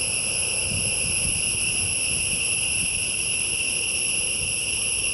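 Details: Forest insects produce a continuous shrill buzzing of stacked high tones, constant in pitch and loudness, over a soft low background rumble.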